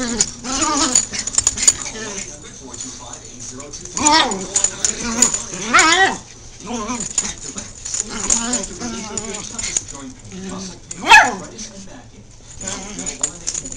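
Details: Wild play between Min-Pins and a Jack Russell Terrier: excited whining yelps swoop up and down in pitch, with sharper yips near the fourth, sixth and eleventh seconds and a constant hiss underneath.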